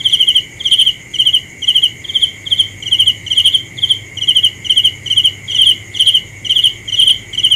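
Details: A cricket calls at night with evenly spaced, piercing trilled chirps, about two each second, over a continuous high-pitched ringing background.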